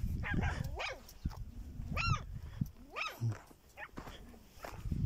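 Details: Wild dog in the Chad desert giving several short, falling yelps and whines, with deep rumbling and thumping noise beneath.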